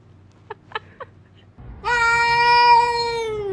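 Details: Orange cat giving one long, drawn-out meow that holds steady then sags slightly, after a few soft faint clicks.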